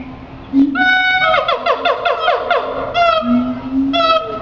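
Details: A siamang putting on a show at the Henry Doorly Zoo: loud, harmonic whooping notes in a quick rising run, then two separate swooping hoots, over a steady low hum.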